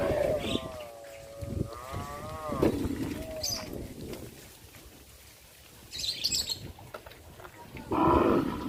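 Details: Cattle from a traditional village farm, on the village streets, give a long, wavering, fairly high moo that rises and dips over about two and a half seconds, amid outdoor rustling and a later loud burst.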